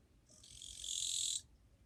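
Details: Japanese katydid singing on 2 July 2023, a fairly quiet individual: one harsh, dry buzzing burst about one second long, swelling in loudness and then cutting off sharply, over faint background hiss.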